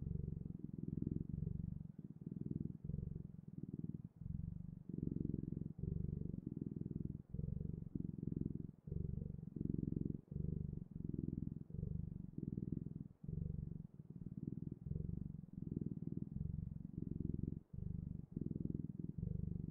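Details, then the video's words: Continuous low purr from a cat, rhythmic rumbling phrases of roughly one second following each other evenly over twenty seconds, with tiny breaks between breaths. "Sounds of Cat's Purring"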